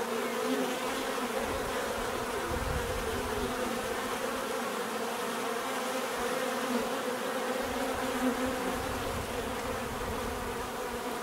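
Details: Steady swarm-like buzzing of bees, a thick continuous hum with wavering overtones and a few deeper rumbles passing beneath, like insects flying close by.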